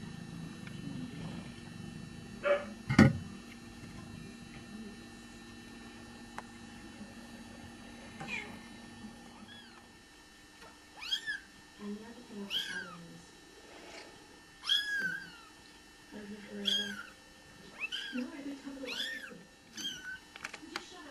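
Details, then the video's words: Newborn Bengal kittens during a birth, only minutes old, giving thin, high, wavering mews. The mews come in quick series every second or two through the second half, after a quieter start with a sharp knock. "Bengal Kittens Being Born"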